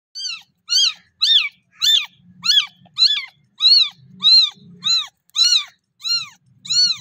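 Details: Kitten meowing for milk and talking to its mother cat: a steady run of about a dozen high, arched meows, each rising then falling, spaced roughly half a second apart, with a faint low rumble between some calls.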